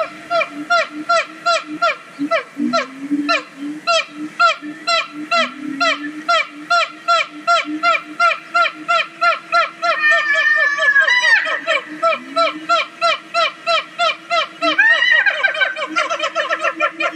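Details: Siamangs, an endangered gibbon species, singing at Zoo Dortmund, Germany: a fast series of loud, honking, harmonic notes about three per second, broken twice by rising, swooping wails before the regular beat resumes.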